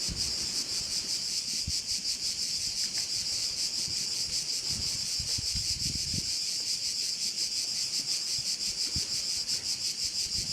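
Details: Crickets on the Croatian island of Korčula near a bay, a high rapid pulsing buzz running throughout, with soft low rustling and gusts of wind beneath.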